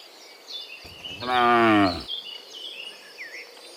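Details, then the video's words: Cows walking home from the fields to the pen in the afternoon while being herded; one long, rising-then-falling moo amid soft chirping birds. "Herding Dozens of Moo Cows Walking Home from the Fields to the Pen in the Afternoon, Sound of Cows"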